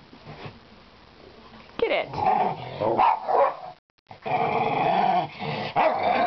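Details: Domestic dog named Jane playing at her laundry basket with a toy inside, pretending she can't reach it; after a quiet start, rough throaty growls and grumbling vocalisations come in bursts, with a short silent gap midway.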